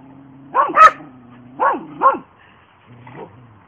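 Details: Border Collie barking, one of two sisters named Hope and Helvy; two pairs of fast, bright barks about a second apart, then a softer, quieter bark trailing off, with a faint low hum underneath.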